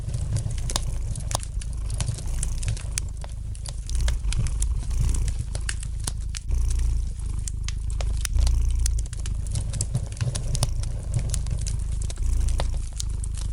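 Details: Low continuous purring of a domestic cat under a busy layer of fire crackle; dense clicks and snaps from the fireplace nearly match the rumble, which rises and falls with each breath.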